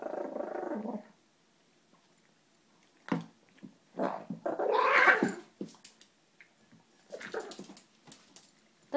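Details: Maltese named Bailey guarding a food bowl after stealing his brother Jack's food, giving a low, rough growling grumble for about a second, then a woman scolding him indoors with more short dog noises between her words.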